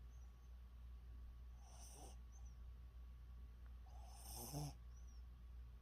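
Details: A dog's snoring: two airy, rasping breaths about two and a half seconds apart, the second ending in a short low snort. A faint electrical hum underlies them.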